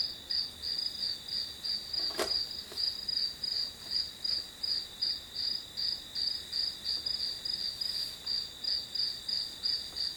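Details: Grass insects heard as one hour of study background sound: steady high chirps pulsing about three times a second over a continuous shrill hum, with a sharp click near the start.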